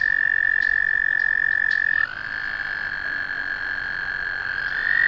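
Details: An American toad's bright, even trill cuts off after about two seconds and a second toad's slightly lower trill takes over, continuing to the end as the first voice returns briefly.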